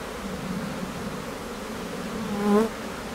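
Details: Honey bees at a Newfoundland hive in May, colony about to swarm; steady droning hum, then a single bee passes close near two and a half seconds, its buzz swelling loud and rising before fading.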